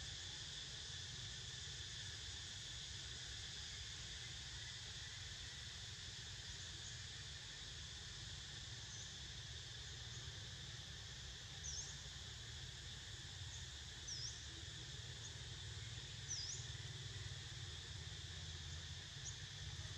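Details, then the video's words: Cicadas drone steadily while Niko snoozes: an unbroken, even buzz with a high hiss above it and a few brief, faint chirps near the end, over a soft low rumble in the background. "Snoozing To The Sound Of CICADAS!!"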